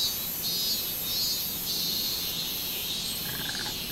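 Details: Brief stretch of minmin cicada song from 24 July 2016, a high buzzing that pulses unevenly and then blurs into a steadier drone, with a faint tonal note near the end.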